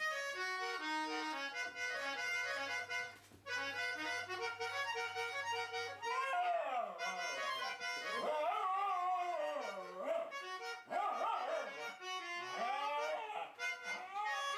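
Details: Two pet dogs, a wire fox terrier and a toy poodle, 'singing' along to music. For about six seconds only steady reedy harmonica or accordion tones play. Then wavering, sliding howls rise and fall over the continuing music.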